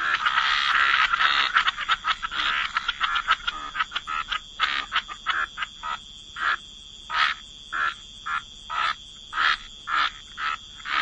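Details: Frogs croaking by the waterside in a wetland, a dense chorus that thins into separate, sharp, rasping croaks repeated roughly twice per second, with overlapping callers.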